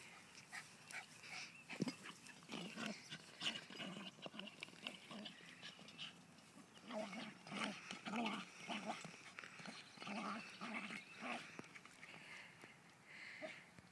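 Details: A Cairn Terrier playing and attacking a ball growls and yaps in short, uneven bursts, with scuffling between them.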